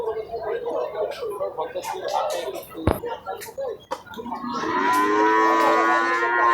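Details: Cattle at a Qurbani livestock market in Hazratpur Par village, Dhaka, Bangladesh, in 2026: crowd chatter and clatter, then a long, steady, drawn-out moo over the final two seconds.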